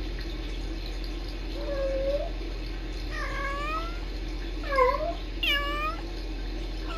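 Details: Kittens Sisko and Mila trilling to each other on a Tiny Kittens Society stream: a flat mew followed by four quick, louder chirrups that dip and rise in pitch, bunched within four seconds, with steady indoor hum behind.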